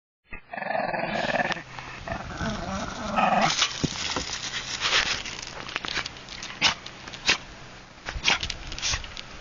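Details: Shih Tzu named Bobby, a pet dog, growling while playing with a Golden Retriever named Paula; a rough, harmonic growl in the first second and a half, then scuffling, thumps and sharp clicks from the play.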